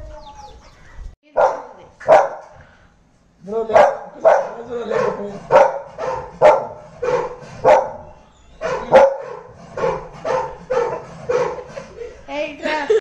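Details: Shadow, a pet Labrador Retriever puppy, barks repeatedly in short, loud bursts, roughly one or two per second, with a brief pause after the first pair, while music and faint voices play in the background.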